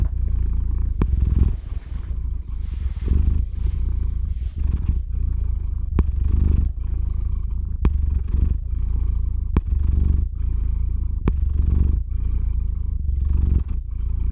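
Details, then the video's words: Domestic cat Theo, close-miked with a RODE NTG-3 and ZOOM H6 recorder, purrs steadily as he falls asleep; deep continuous rumble pulsing with each breath roughly once a second, occasional small clicks. "Кот мурлычет на микрофон и засыпает/The cat purrs on the microphone and falls asleep"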